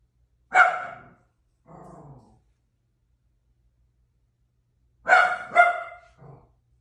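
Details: A pet dog barks: one sharp bark followed by a softer, lower huff, then a long pause and a quick double bark ending in a short low grunt. No other sounds.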